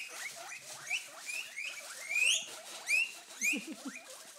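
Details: Three pet guinea pigs, Daisy, Violet and Amber, wheeking to beg for food whenever a salad bag is crinkled; loud, rising squeals repeated rapidly, each sweeping upward, with softer chirps underneath.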